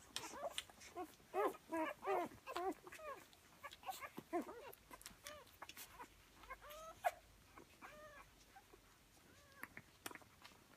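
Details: Litter of four-day-old Rhodesian Ridgeback puppies, born on Easter Sunday, 5 April 2015, suckling from their mother; faint high squeaks and arched little whines come rapidly from several pups, with soft shuffling and quiet background noise.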